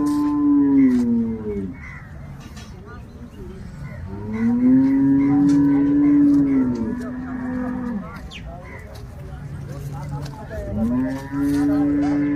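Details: Cow at a dairy farm in Loni, Shrirampur taluka, Ahmednagar district: three long, loud, low moos, each steady and then sliding downward, lasting two to three seconds, with a man speaking faintly between them.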